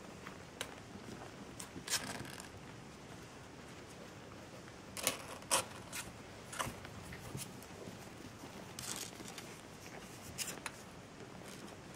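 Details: Quiet indoor room with scattered clicks, rustles and zipper-like scraping noises, with no animal voice audible.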